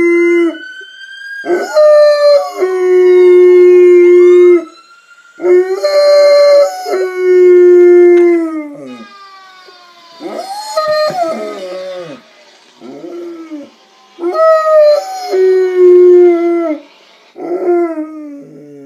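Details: Pet dog howling in reply to a fire truck siren played on an iPad, long sustained wavering howls in five bouts separated by short pauses, with the siren's sweeping wail faintly underneath.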